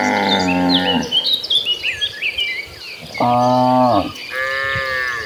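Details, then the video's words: Several gentle cows heading to green pasture moo in turn: a one-second call at the start, a louder falling moo around three seconds, then a higher one near the end, over steady insect chirping and bird twitters. "the sound of calm cattle mooing"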